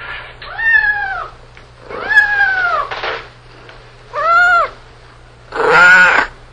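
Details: Four meows from a cat, each arching up then down in pitch, the last harsher and more nasal, separated by short gaps of near silence and a low hum.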